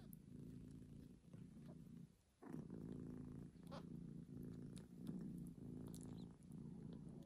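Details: Newborn kitten just after birth, indoors: steady low rumbling purr in long pulses about a second each, broken by a short pause near two seconds, with faint small clicks above.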